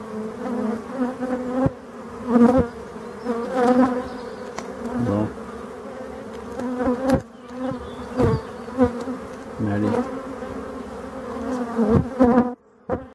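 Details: Black honey bees in Brittany, France, filmed against a yellow background; a loud, pulsing buzz rising and falling in frequent surges, with occasional clicks and knocks.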